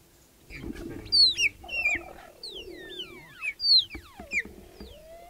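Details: Cheetah mother, her three cubs and a young male intruder joining them in Kenya's Olare Motorogi Conservancy. Loud high chirps and long downward-sliding whistles overlap irregularly above a soft lower murmur, several callers heard.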